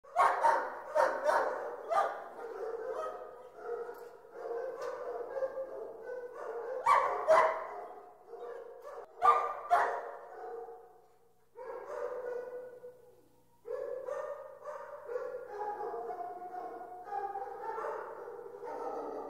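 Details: Many dogs barking together in a dog pound, a dense overlapping chorus of sharp barks and higher yelps, some bursts louder and nearer, with a short lull near the middle before barking resumes.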